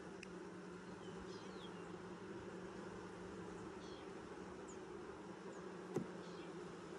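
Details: Colony of honey bees during a 2020 hive inspection six days after nuc installation, giving an even, unbroken low hum with layered tones; faint high chirps of small birds sound now and then, plus one sharp click.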